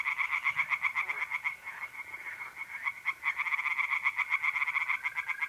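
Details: Tree frogs singing by night in a pond in north-eastern Italy in mid-April: a dense, unbroken run of rapid, rasping pulses, about four per second, with several callers overlapping throughout.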